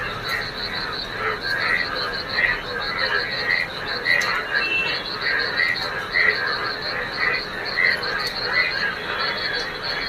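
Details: On a rainy morning, many yellow frogs in rainwater pooled on a field form a dense chorus of rapid, rhythmic croaks and high trilling pulses repeating steadily.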